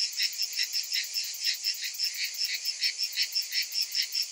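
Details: Massed summer cicadas give a high, hissing, electric drone, pulsing unevenly at around two and a half beats per second, with nothing else audible.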